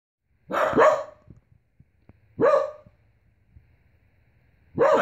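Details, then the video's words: Pembroke Welsh Corgi, a young dog just learning to howl, set off by a leaf hitting the outside window; three loud drawn-out yelling howls about two seconds apart, each opening harsh then sliding downward, with quiet gaps between. "corgi yelling"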